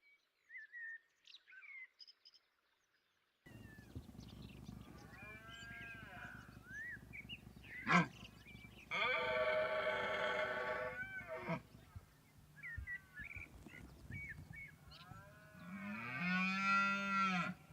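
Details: Red deer stags roar during the autumn rut in the valleys and hills of Sierra de la Demanda, Burgos, Spain: deep, harsh bellows to attract females and to intimidate and challenge rival males.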